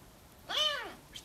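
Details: A pet serval gives a single clear meow that rises and then falls, while a person nearby speaks to it in Russian, calling its name and asking what it wants.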